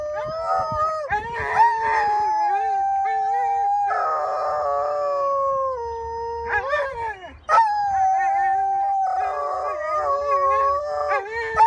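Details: Two huskies near Regina's Mosaic Stadium give long drawn-out howls, level tones that sag and waver, overlapping voices, a brief break before a sharp new rising howl, then wavering duet notes.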